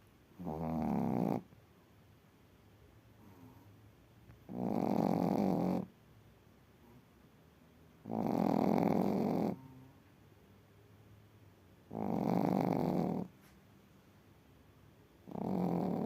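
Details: A sleeping Chihuahua named Darsu Vargas at a kennel in Crimea snores steadily: five buzzy, droning breaths, each lasting over a second and returning roughly every four seconds, with quiet indoor stillness between them.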